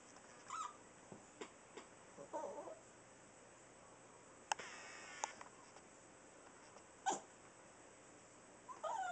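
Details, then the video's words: Pet Chihuahua weighing two and a half pounds, pulling crazy faces before it sneezes; abrupt explosive snorts near the middle and later, mixed with soft nasal whimpering squeaks and small snuffles in a quiet room. "Sneezing Chihuahua"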